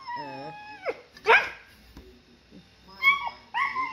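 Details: A Siberian Husky puppy screams in pain as maggots are removed from its wound: sharp, high yelping cries in short bursts with pauses between, while people talk nearby in Indonesian.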